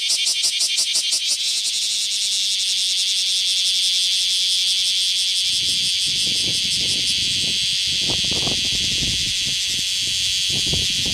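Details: A male bear cicada in Nishiki Citizens' Forest, Kaizuka, on 27 July 2015 sings a loud, harsh buzz that starts with rapid pulses and settles into a steady drone; it sings while moving, only its abdomen moving.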